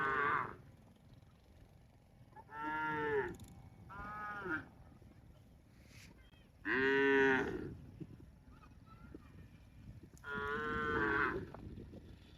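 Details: Cattle mooing outdoors: four long, resonant moos of about a second each, spaced several seconds apart, with a rich harmonic tone over a quiet rustling background.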